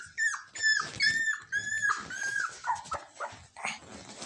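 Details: Shiba Inu puppy, the smallest of three littermates, whining in high, wavering whistled cries that rise and fall, several drawn-out whimpers with short gaps, some breaking into squeaky yelps, in a quiet indoor setting.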